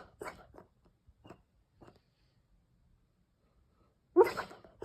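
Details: A Weimaraner, dreaming indoors in Opole, Poland, in June, snores in its sleep: a few short, breathy snuffles at uneven intervals, then after a quiet pause a louder nasal snore with a faint whistle.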